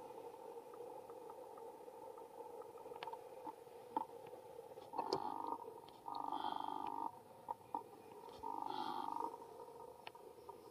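A young monkey gives two short, tonal squealing calls over a steady background hum and scattered clicks.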